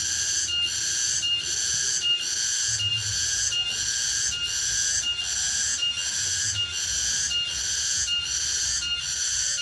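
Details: Late-afternoon cicada chorus from the countryside interior, a shrill buzzy song rising and falling in regular pulses about every 0.75 seconds, with a soft low background hum.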